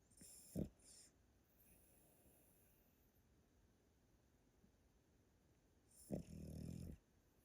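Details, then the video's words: Sleeping grandpa Pomeranian named Yotaro, snoring: a sharp snort early on, a long quiet pause, then a louder drawn-out rasping snore near the end. "Pomeranian that snores loudly～おじいちゃんポメラニアン与太郎のぐぅぐぅ動画～"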